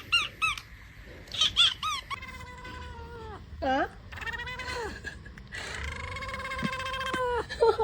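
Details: Pet cat making strange noises at home, a string of short chirps followed by long, steady harmonic meows and a bent, wavering cry, with a woman speaking softly.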